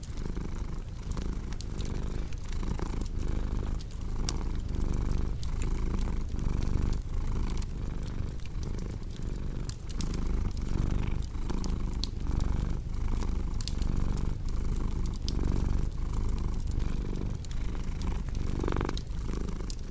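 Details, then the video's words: Domestic cat purring steadily in a relaxation mix, a low rumbling purr pulsing in regular breath cycles under sharp crackling and popping from a fireplace. "Purring Cat with Cozy Crackling Fireplace Sound"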